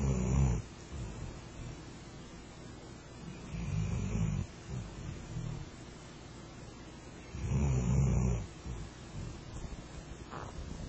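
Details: Snoring of Rento, a pet Flat-coated Retriever that fell asleep under a kotatsu: deep, rough rumbling breaths, roughly every three to four seconds, with quiet gaps between them.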